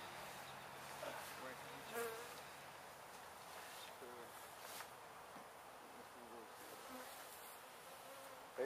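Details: Honey bees from a gentle window hive being removed at a house in Edinburg, Texas, late in the day; a steady low swarm drone runs throughout, with faint clicks and brief handling knocks.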